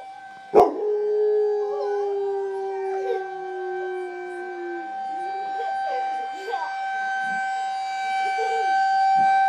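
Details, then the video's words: A pet bulldog howls along with a tornado siren and a boy: wavering, drawn-out tonal howls rising and falling over the steady whining siren, with a sharp knock near the start. "Bulldog singing With the siren"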